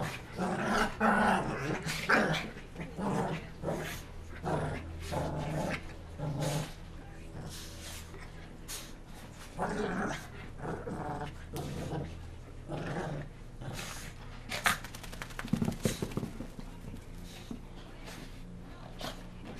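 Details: Several Shih Tzus play-chasing after a bath while still wet; gravelly growls and brief yaps come in irregular bursts, then fade into clattering scuffles and rustling toward the end.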